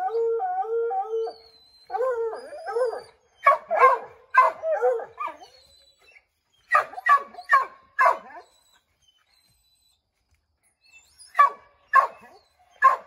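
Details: Several Redbone Coonhounds, Bo, Luke, Lulu, Cooter and Jesse, treeing a chipmunk in an oak tree: drawn-out wavering howls open, then bursts of sharp barks in quick clusters separated by short pauses.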